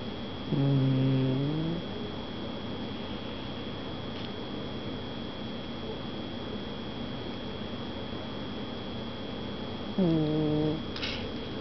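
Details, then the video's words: Domestic cat snoring in sleep, two low buzzy harmonic snores about nine seconds apart, each a little over a second with a slight upward bend, quiet hum between them. "Snoring Cat"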